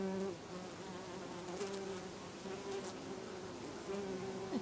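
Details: A bee resting on lavender in a Brittany garden in August among many others; soft steady hum with faint tonal drone lines, quiet garden ambience.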